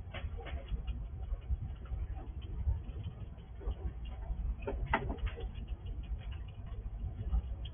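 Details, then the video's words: Night-vision recording of a wild squirrel eating in darkness at a house: sparse gnawing ticks, then a sharp burst of crunching near five seconds, over continuous low-pitched background rumble. "Squirrel eating in the dark ~night vision recording"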